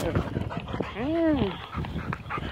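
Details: Milo, a golden retriever, lets out a single arched whine that rises and falls over about half a second, while a person keeps repeating "hello" to him.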